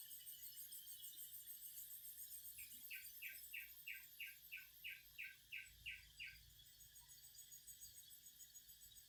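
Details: A cicada chorus drones in a high, shimmering buzz throughout, and in the middle a burst of about twelve rhythmic pulsed chirps repeats steadily before fading out.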